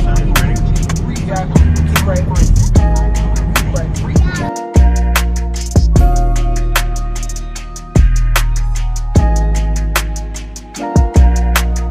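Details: No animal sound is heard; hip hop music with heavy bass and sharp drum hits plays throughout.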